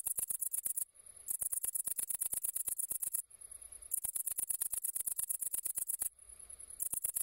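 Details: Great green bush-cricket (Tettigonia viridissima) stridulating: a loud, very high, sizzling buzz built from rapid ticking pulses, delivered in long bursts separated by short silent breaks near one, three and six seconds.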